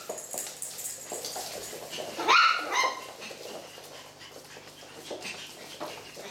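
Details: Eight-week-old Coton de Tuléar puppies from a breeder's litter, playing with a ten-week-old French bulldog; a single sharp, high, rising yip stands out midway, set against soft scuffling and low indoor background noise.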